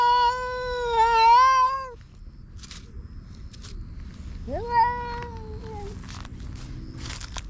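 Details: Territorial fight between a silver tabby-and-white cat and an orange tabby that entered its territory: a long, steady, wavering howl of nearly two seconds, then a second yowl that rises sharply and sags, with quiet scuffling after.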